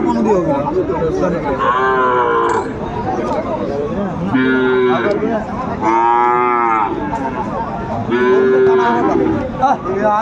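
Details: Sahiwal bull bought by a farmer in Kurigram, 31 December 2024, lowing repeatedly: several drawn-out, harmonic moos of one to two seconds each, spaced a couple of seconds apart, over steady crowd chatter and background noise.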